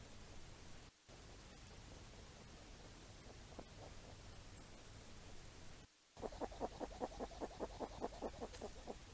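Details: Wild hedgehogs foraging for apples in falling rain give a rapid run of short, rough grunting pulses, about two or three each second, in the final seconds, over a steady hiss of rain.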